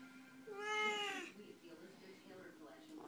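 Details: Two chatty Siamese cats: one drawn-out, bright harmonic meow lasting under a second that bends slightly upward, followed by quieter murmuring and a woman speaking softly in a small room.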